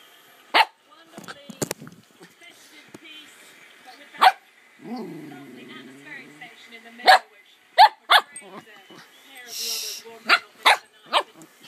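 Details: Bella, a Cockapoo playing on the bed, lets out short sharp barks, some single and some in quick pairs, roughly eight spread over twelve seconds, with a brief lower whine-like sound between them in a quiet room.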